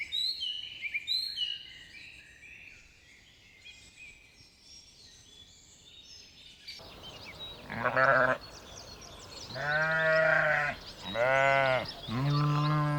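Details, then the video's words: Bright, varied birdsong fills the first half on a spring meadow where sheep and lambs graze; then a series of four loud, wavering bleats, each about a second long and closely spaced. "Sounds of sheep bleating"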